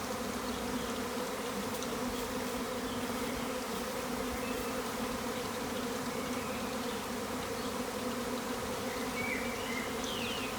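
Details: Garden swarm of honey bees, thousands of insects outside an upstairs window in spring 2020; steady, loud, rough buzzing drone, a few distant bird notes late on.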